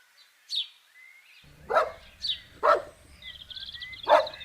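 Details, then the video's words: Puppies running and playing together on a green grassy meadow: three sharp, separate barks about a second apart after a quiet start, with birds whistling and chirping in the background. "Dog barking sounds"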